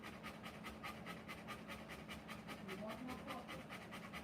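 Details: Rottweiler panting while giving birth to puppies: quick airy breaths repeating roughly two to three times a second in an even rhythm, with faint human voices murmuring underneath.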